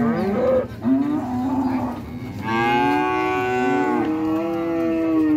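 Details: Cow mooing: a brief rising call, then a long sustained harmonic low that swells after a couple of seconds and holds steady to the end over a low background hum.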